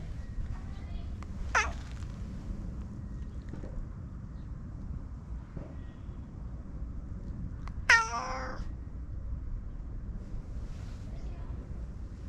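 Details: Domestic cat meowing twice, a short falling meow near the start and a louder, bent meow about six seconds later, over steady low rumbling background noise.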